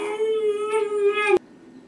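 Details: Pet dog indoors howling while watching himself on a TV commercial; one sustained, steady mid-pitched howl lasting over a second, rich in overtones, ending with a sharp click, then quiet room noise.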